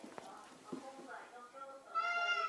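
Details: American Shorthair cat answering its owner, who calls to it through a wall; a woman's voice calls first, then the cat gives a clear, drawn-out harmonic meow near the end.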